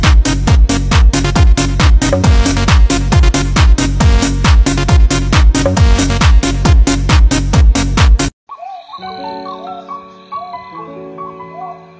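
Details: Pounding techno beat that cuts to a quieter synth melody with chirpy electronic blips, and no animal voice.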